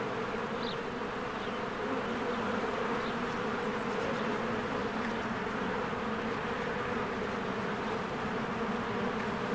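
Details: Many honeybees flying in and out of a cozy hive in spring: a steady, droning hum of wings with close individual bees buzzing past, and faint high bird calls scattered over the insect chorus.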